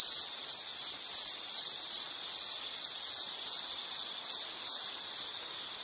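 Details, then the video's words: Continuous insect chirping, shrill and pulsed, its bursts repeating quickly and regularly at a steady pitch over a quiet background. "Sound · Nature Sound of nature sounds scenery L · insect"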